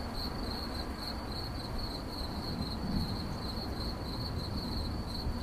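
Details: Cricket giving a continuous series of high pulsed chirps, slightly run together, about two each second, with soft low rumbling noise behind.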